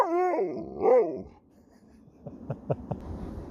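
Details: Talking back, Sherpa the Alaskan Malamute from St Ives, Cornwall, gives wavering harmonic woo sounds that rise and fall twice within a second, then soft huffing noises as a person speaks.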